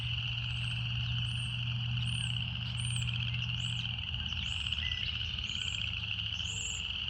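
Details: Continuous high buzzing drone of cicadas in a natural setting, level and unchanging, with short arched high chirps from other callers scattered above and a low throbbing hum beneath that drops out partway.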